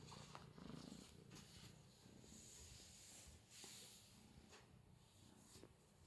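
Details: Female Scottish Fold kitten, four months old and prick-eared, playing with a cat teaser toy; steady low rumbling purr runs throughout, mixed with rustling and scratchy handling noises and hiss.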